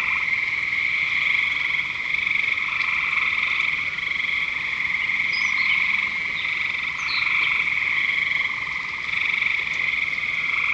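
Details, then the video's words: Continuous frog chorus at Lake Curcio, many overlapping high trilled croaks merging into an unbroken buzzing drone, a few sharp higher chirps rising above it midway. "Frogs at Lake Curcio"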